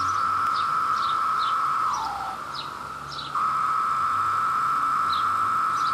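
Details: A male cicada of New Jersey's Brood II courts a female amid a peak-season mating chorus. A continuous high buzz runs throughout, briefly dipping and slurring downward in pitch before resuming. Small birds give repeated quick falling chirps.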